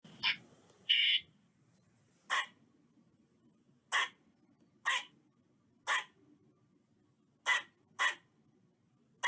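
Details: Eastern squirrel giving sharp, broadband barking chucks. One longer, squeakier note comes near the start, then single harsh notes follow at uneven gaps of about one to two seconds. A quiet low rumble sits in the background.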